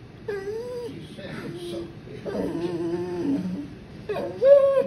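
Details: Mandi, a female Boxer, protests while her owner declines to make her sister give up the couch: long, bending whines and groaning moans, a higher rising cry at the end, and a woman's apologetic voice.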